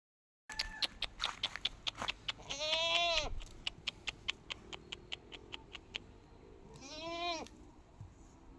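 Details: Goat on a village farm giving two loud, quavering, arched bleats about four seconds apart, each lasting under a second, with regular sharp clicking or tapping sounds throughout.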